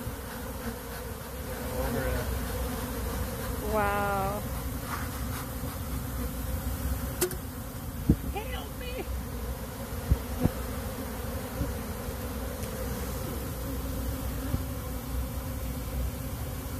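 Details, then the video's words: Bees pouring out of a box in a rescue give a thick, continuous droning buzz, low and unbroken throughout, with short bits of human talk and a couple of clicks in the middle. "bees exploded out of this box"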